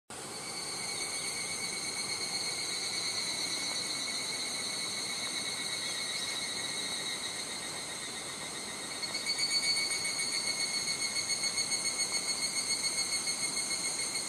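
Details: Higurashi cicadas on a Japanese summer day at Nishigo village, Fukushima Prefecture: a dense, steady high-pitched insect chorus of layered whining tones, joined after nine seconds by a louder, rapidly pulsing call; faint wind noise.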